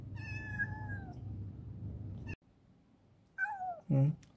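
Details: Affectionate rescued black female cat, a former stray living in a warehouse, meowing while a person encourages it to eat. One long steady meow, a silence, then a shorter falling meow, followed by a brief burst of the person's voice.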